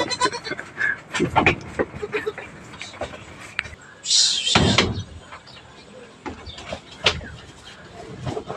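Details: Bleating from backyard farm goats receiving vitamins and dewormer because several are thin; a few brief nasal bleats break through between people talking, knocks and a burst of hissy noise midway.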